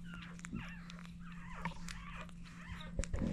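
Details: French Bulldog puppies, seven of them, being fed by their mother Dooney indoors. They give thin, wavering high whimpers that rise and fall, with scattered clicks and a steady low electrical hum underneath.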